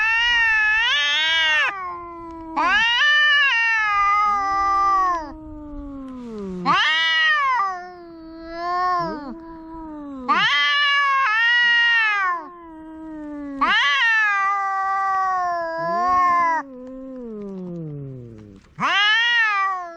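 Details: Noisy domestic cat or kitten yowling repeatedly: loud, bright, harmonic meows that swell and sag, some ending in long downward-gliding wails, with brief quiet pauses between the calls.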